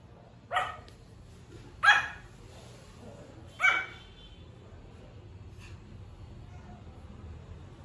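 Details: Pomeranian puppy's early cute barks: three quick high-pitched yips in the first four seconds, roughly one to two seconds apart, then quiet with only a low background hum.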